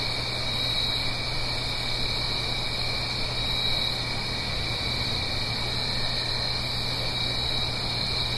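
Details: Autumn night chorus of crickets in the Blue Ridge Mountains above a gentle stream, stereo recording: continuous shrill trilling held at an even pitch throughout, layered over a low drone and steady broadband rushing.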